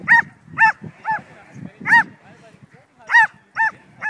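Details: A Border Collie mix named Betsy, worked up on herding endorphins, barks at a flying kite: a quick run of about eight bright, yelping barks, some paired close together, with soft rustling and low background sounds between them.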